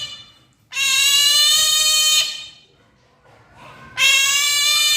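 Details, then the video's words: Two pet Asian small-clawed otters, Brownie and Daisy, asking for breakfast; shrill, harmonic-rich squealing held for about one and a half seconds, a pause with faint rustling, then another loud sustained squeal begins. "CUTE OTTER MAKES ADORABLE NOISES WHEN ASKING FOR BREAKFAST"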